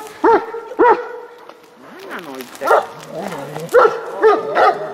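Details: Leo, an 11-year-old dog, wanting the ball that another dog, Rush, holds in its mouth: sharp, high yelping barks, about seven bursts, with wavering whines sliding up and down between them.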